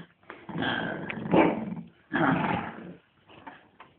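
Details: Shih Tzu at playtime growling in two long rough bursts, each about a second, with a quieter rumble near the end.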